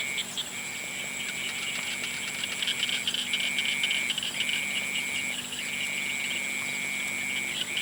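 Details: At sunset, frogs give unbroken buzzing trills that stop and restart every second or two. Scattered rattling ticks and a continuous high ringing tone accompany them.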